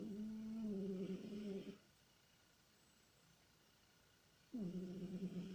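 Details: Pet cat Tikhon snores and moans while dreaming in deep sleep: a long low droning groan that sags slightly in pitch, a pause of quiet room hiss, then another sustained moan begins.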